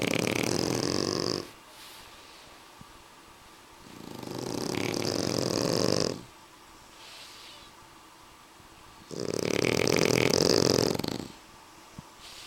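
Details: Suna and Annibal, French Bulldogs, snore steadily: three long, harsh, rattling breaths of about two seconds each, separated by quiet pauses of similar length.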